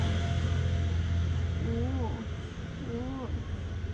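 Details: Cat with a white tip on his tail, living in front of a shop, meows loudly for love and food. Two drawn-out meows rise then fall in the second half over a steady low traffic rumble.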